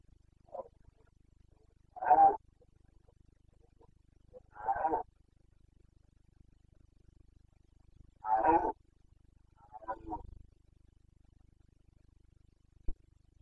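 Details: Rutting Carpathian red deer stag (boncănit), Bucovina mountain forests, 29 September 2022: short harsh roars spaced a few seconds apart over thirteen seconds, some stronger than others, with silence between.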